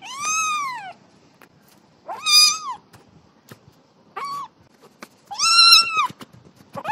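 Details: Young cat meowing while playing: four high, arched meows of varying length spread over seven seconds, with faint taps and knocks between them.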